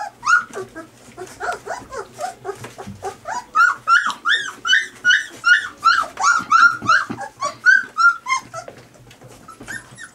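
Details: Three-week-old puppies squabbling over their mother's milk as she approaches to nurse: a dense run of high, rising-falling whines and squeaks, several pups overlapping, repeated almost three times a second, with faint low rumbling beneath.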